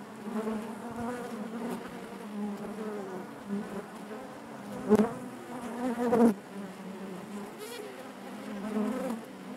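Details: Colony of honey bees buzzing inside the hive: a deep continuous hum with shifting harmonics, two louder swells midway as bees fly close, otherwise steady.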